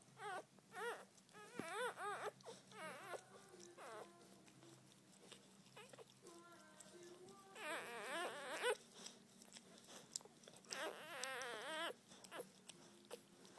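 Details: Freshly born Border Collie puppy, Blaze, during the birth of a litter; a run of high, wavering, cry-like squeals that come in quick clustered bursts with short pauses, over a low background hum.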